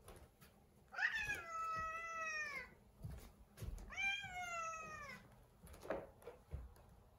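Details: Domestic cat, indoors in a kitchen, in a bad mood and blocking a person's way; two long, drawn-out harmonic yowls, each about one and a half seconds, wavering then falling slightly, with soft rustling and low room hum between them.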